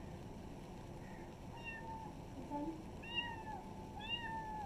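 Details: Several village kittens mewing outdoors, high thin cries overlapping in quick succession, a few rising then falling with clear overtones, over a persistent low background rumble.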